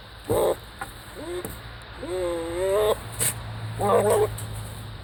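A goat gives a string of strange, wavering bleats, some rising and others nasal and bent.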